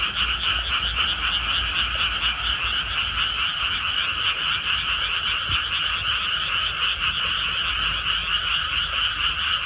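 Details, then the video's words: Frogs croaking in rice paddies just after rice planting has finished: a dense, unbroken chorus of rapid rattling croaks in two steady bands, many callers overlapping with no pauses throughout. "개구리 우는 소리"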